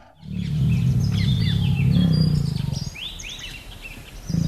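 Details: Tiger in the wild, a deep rumbling growl held for about two and a half seconds, pulsing and low, then fading before a fresh rumble at the end; high chirping birds call throughout.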